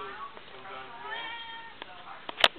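A domestic cat meows in long, wavering calls that rise and fall in pitch, pleading to go outside. A person's voice talks over it, and a sharp click sounds near the end.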